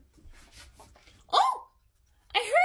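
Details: A female ferret gives two brief, bright squeaks that bend up and down in pitch, expressing happiness and feistiness.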